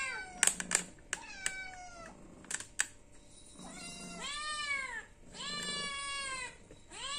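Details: Hungry cat meowing to ask for food: sharp clicks and taps first, then long, arched, rising-and-falling meows drawn out near the end, with a low background hum.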